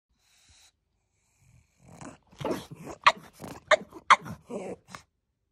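A pug gives a run of short, throaty barks and grumbling yips, irregular and almost talk-like.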